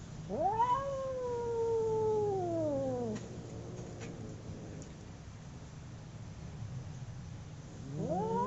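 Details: Two domestic cats fighting: one sustained howl rises sharply, holds a long wavering note for about two and a half seconds, then slides downward. Several seconds of quiet follow before another howl climbs steeply at the close.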